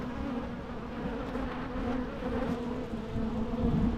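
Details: Continuous humming drone of bees, a low buzzing tone with a harmonic above it that swells slightly louder toward the end as individual insects pass closer.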